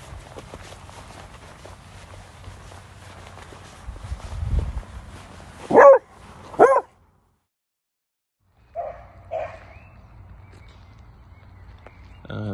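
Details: Bongo, a female pet beagle, excited at play in early 2023: two loud, sharp barks about a second apart, then two softer barks after a pause, with faint background noise and music.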